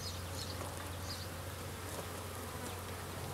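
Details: Western honey bees being shaken off a queen excluder as a beekeeper works the hive on a cold spring day; a continuous low droning hum with a steady deep band and soft scattered higher buzzing.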